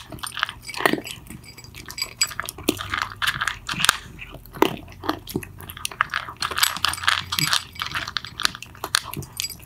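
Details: Loud cat eating from two pets named Mittens and Mongo: steady crunching and chewing with bright clicking bites in uneven clusters, a faint low hum beneath, close and indoors.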